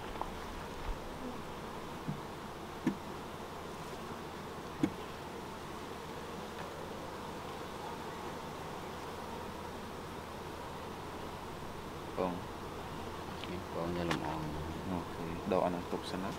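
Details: Honey bees at a beekeeping site during a season of learning beekeeping, giving a steady, dense buzzing hum throughout, with occasional sharp clicks and faint human voices rising near the end.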